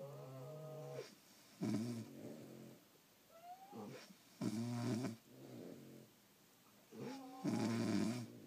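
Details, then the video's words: French Bulldogs asleep indoors, snoring in loud rasping bursts about every three seconds, with quieter wheezy, whistling breaths in between, some breaths sliding in pitch. "Snoring French Bulldogs"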